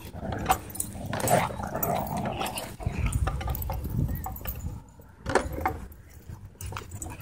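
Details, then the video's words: Dog going crazy at a dog park, giving rough low growls and short whimpering yelps in scattered bursts, with a loud yelp near the start and another cluster later over steady low rumble and outdoor background noise. "Dog Goes Crazy At Dog Park"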